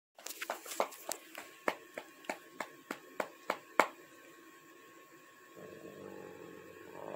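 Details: Dog indoors barking at its owner for attention after being petted: about eleven sharp, evenly spaced barks in a quick run over roughly four seconds, then fading to soft rustling and a low background hum.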